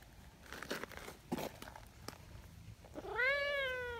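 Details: Rustling, crinkling and soft knocks open the scene before Nyahha, an affectionate brown tabby community cat from Japan known as the king cat, breaks in with one loud, rising-then-falling meow near the end.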